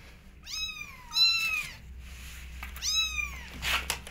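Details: Kittens wanting to go outside call out in three clear, drawn-out mews, each bending up then down, with short pauses and a soft rustle near the end.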